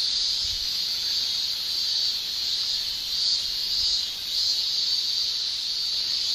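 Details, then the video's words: In a Japanese summer, male cicadas shrill with tymbals; a constant high buzz swells slightly in gentle pulses about every second or so. "Japan Summer Cicada Shrilling"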